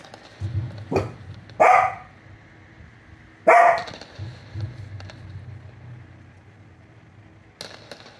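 An American Cocker Spaniel gives two loud, sharp barks, set off by the noise of fireworks.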